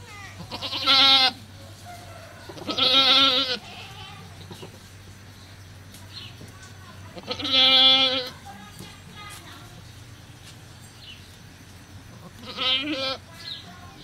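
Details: Goat at a cow farm giving birth, four loud quavering bleats at irregular intervals of two to five seconds, the last one softer, with faint voices and rustling between them over a low hum.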